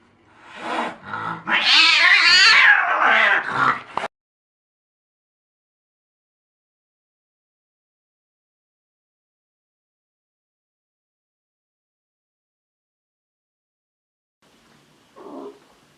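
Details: Angry cat letting out one loud, harsh, rising-and-falling yowl lasting about three seconds, followed by long silence and a faint short sound near the end.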